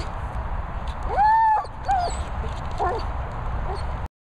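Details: German Shepherd giving a drawn-out high whine lasting about half a second, then a shorter bent whine and two faint squeaky whimpers, over a constant low hum.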